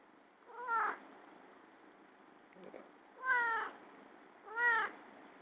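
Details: Pet cat indoors, content in a favourite baby chair, meowing softly: three short, clear meows roughly every two seconds, each with a slight downward bend, over a quiet hiss of room noise, plus a faint soft rustle.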